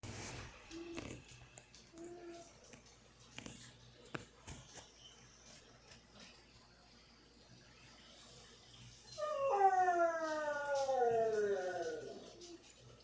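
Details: Pet dogs at home, vocalising after their owners left for the store: scattered soft noises and clicks, then a loud wavering whine that slides downward repeatedly for about three seconds.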